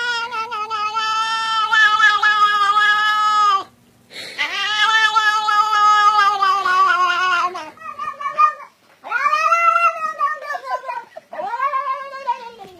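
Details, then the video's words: Cat making weird meow noises indoors: loud, sustained yowling caterwauls, each several seconds long, strongly tonal and wavering, rising at the start and sagging at the end, with brief pauses between them. "Funny Cats Making Weird Noises"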